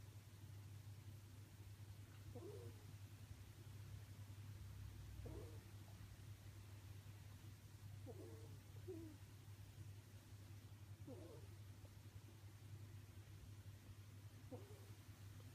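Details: Romin, a pet ferret, snoring while asleep, a sound rarely heard; soft, low snores come about every three seconds, five in all, over a steady low hum.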